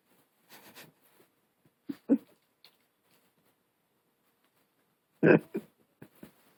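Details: Long-haired Chihuahua puppy growling, its voice likened to a hunting dog: soft grumbling early on, then two short, harsh, rough bursts near two and five seconds, the second loudest, followed by small trailing grunts in a quiet indoor room.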